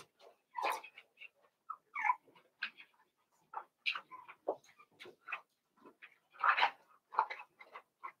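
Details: Litter of Cavalier King Charles Spaniel puppies, Daisy's six and Robin's two joined together, whimpering and yipping in short separate cries, several rising then falling, scattered unevenly with short silences between.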